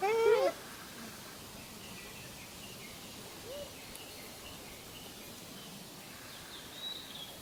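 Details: Wild Japanese macaque answering another's calls with one short, bending tonal coo at the start, then quiet outdoor ambience with a faint distant high bird note near the end.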